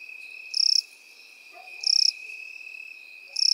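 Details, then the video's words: Crickets and grasshoppers in field grass: short, high, rapidly pulsed chirps repeat about every 1.3 seconds, three bursts in all, over a steady, unbroken, lower-pitched insect whine. "Сверчки и кузнечики в полевой траве"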